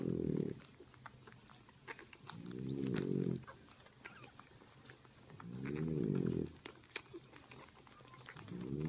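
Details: Sleeping French bulldog mother nursing her puppies: deep, rumbling snores lasting about a second, returning roughly every three seconds, with faint clicks and suckling-like ticks in the pauses.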